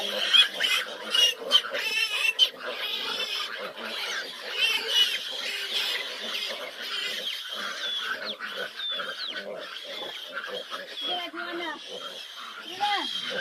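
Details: A litter of fifteen large piglets clamour at a nursing sow who struggles to feed them; sharp squeals and grunts, some rising and falling wavering cries near the end, loud bursts in the opening seconds.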